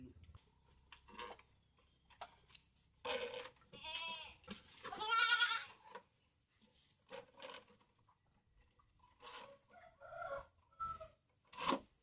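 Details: Goat bleating indoors: two loud, quavering bleats in close succession near the middle, followed by scattered shorter, weaker bleats and knocking sounds against a quiet background.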